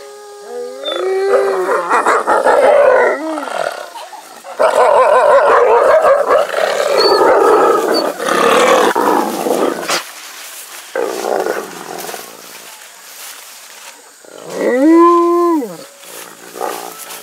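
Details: Several gray wolves at Wolf Park on a Howl Night, 18 August 2018, snarl and growl harshly as they jostle for attention and try to intimidate each other, breaking into whining, wavering howl-like cries after people howl.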